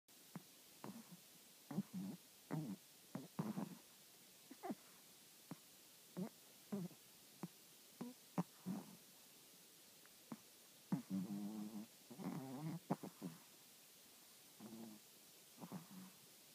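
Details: Sleeping Chihuahua snoring: a run of short, low, rough breathy bursts at uneven intervals, some doubled, with a longer rattling stretch near the end, in an otherwise quiet room.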